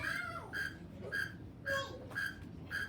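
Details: A northern mole cricket, nocturnal and singing from a hole dug in the ground, gives a steady series of brief, ringing chirps about every half second; faint voices murmur in the background.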